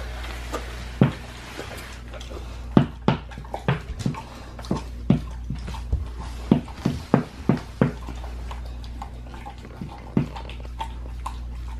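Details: Pit bull eating a raw leg of lamb indoors, raw-fed: sharp wet crunches and bone clicks arrive in irregular bursts, about a dozen distinct bites with quiet low hum between them.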